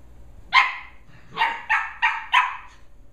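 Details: Two Shetland Sheepdog puppies, Holly and Pearl, 11.5 weeks old, wrestling and running around indoors on their last evening together; a single sharp bark, then a pause and four quick barks in a burst, over a quiet room.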